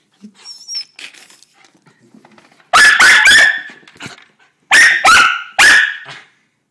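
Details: Excited female dog about to be taken out to pee, a faint whine followed by two clusters of loud sharp barks, three quick barks each, after a quieter opening.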